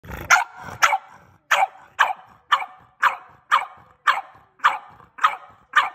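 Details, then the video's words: French Bulldog barking: about a dozen short, sharp barks in a steady series, roughly two per second, each rough and mid-pitched, with no other clear sounds. "Barking frenchie"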